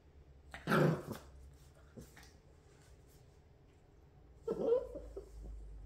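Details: Great Pyrenees puppy indoors while learning to roll over gives two short whiny yelps, one near the start and one near the end, with quiet room noise between.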